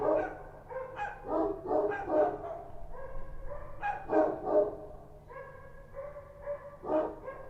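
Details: Night barking from Kochi street dogs in Kabul: strong, ringing barks in short runs, a brief lull in the middle, then a few spaced, more drawn-out barks and one last loud bark.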